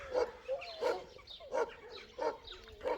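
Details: Village dogs in rural Turkey guarding their ground, barking at a visiting Alabai that entered their territory; sharp barks repeated about every 0.7 seconds, with tonal whining between some barks.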